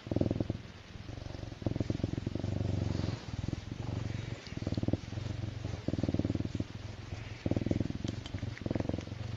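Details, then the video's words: Serval feeling good and purring loudly: a strong low rumble in long pulsing stretches, broken by short gaps for breath, with a few faint higher noises in the background. "Serval Myxa Feels So Good with Purring"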